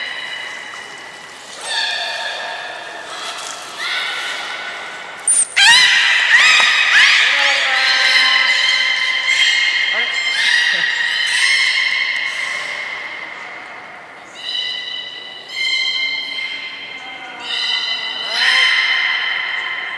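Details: Belugas vocalise in the aquarium pool at Port of Nagoya Aquarium on a January 2020 morning. Rich, harmonic whistles and bleating squeals come in bursts, a loud burst near the middle, then separate drawn-out tones every second or two.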